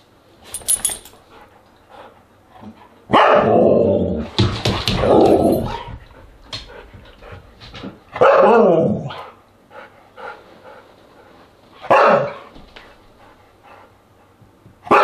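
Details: Siberian Huskies vocalizing around dinner on August 10, 2022: several loud, harsh barking and yelping outbursts spaced a few seconds apart, some drawn out and whiny, over a quiet indoor background.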